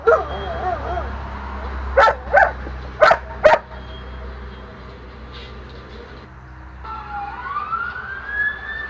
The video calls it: German shepherd howling